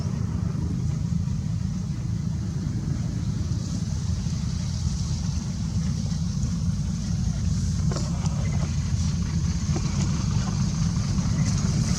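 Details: Steady low rumble like passing traffic or wind, with a few faint clicks and no animal sound.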